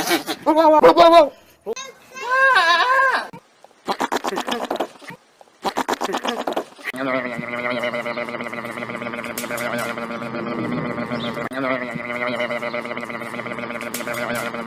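A goat gives several loud, wavering bleats in quick bursts, each with a quavering, almost human tremble. The second half gives way to a steady, continuous drone with people's voices mixed in.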